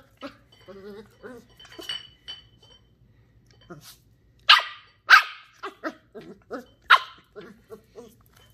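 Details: Female Sheltie puppy Ollie, ten weeks old, plays with a Coke bottle in the house. Soft talk comes first, then three loud, sharp barks in quick succession, then lighter rustling and yips.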